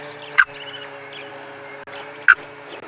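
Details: Unseen frog somewhere within a safari vehicle during a sunrise game drive on 7 January 2022: two brief clicky croaks roughly two seconds apart, set against a steady mechanical drone and thin, high, descending bird notes.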